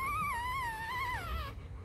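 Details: Newborn Rottweiler pup, four days old, from the litter of Vietnamese champion Loki Gervi and Faye: a drawn-out, gently quavering whine that slides downward near the end and then stops, leaving a faint low hum.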